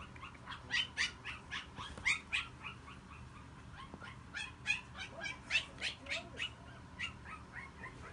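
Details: Male Yorkshire Terrier puppy giving a rapid run of short, high, squeaky yips, roughly three to four per second, uneven in spacing and loudness, over a faint low background hum.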